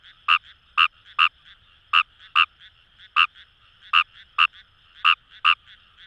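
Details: Kawamura's rice frog calling in paddy fields along the Kamo River, Itoshima, Fukuoka, Japan: loud, short, bright croaks, often in quick pairs, about ten in six seconds, over a steady high chorus of more distant frogs.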